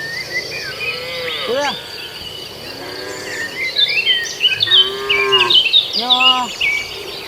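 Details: Cattle herd heading to the barn while eating grass in a field: several moos, a short upward-bending low one then longer harmonic lows, overlapped by busy high bird twittering and insect noise.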